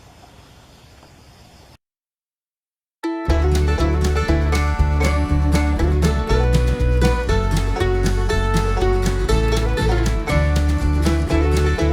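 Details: Plucked string music, banjo-like and country in style, after a quiet hiss and a brief silence; no animal calls are heard.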